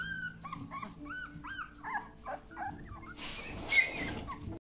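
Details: Seventeen-day-old Labrador Retriever puppies in a frenzy; a run of short, wavering whimpers and yelps about every half second, fading after three seconds into a rustling, broadband scuffle with one brief squeak.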